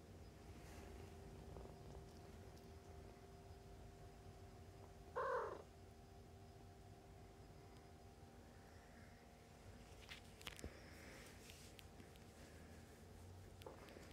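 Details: Foster kittens about three weeks old nurse from their mother and play. A soft, steady low purring rumble runs throughout. A brief louder squeak comes near five seconds, and faint rustling and clicks are heard later.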